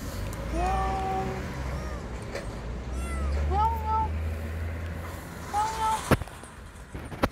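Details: Palm-sized lost kitten crying from under a parked car before its rescue: a few high, arched meows rising then falling, spaced out over several seconds, over a low engine-like rumble and a person's voice.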